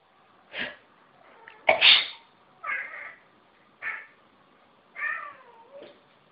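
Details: Domestic cat meowing in response to people sneezing: sharp sneezes followed by short, bright meows, several rising then falling, spaced about a second apart, indoors.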